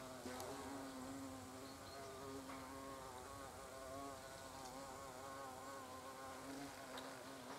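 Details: At the entrance of a European hornet nest, a continuous low humming buzz with clear layered overtones that waver as hornets fly about, with a few faint ticking sounds.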